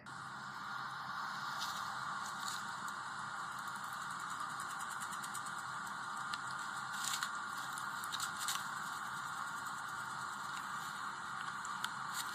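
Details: An angry or agitated guinea pig chatters its teeth in sharp, dry clicks, a warning to stay back.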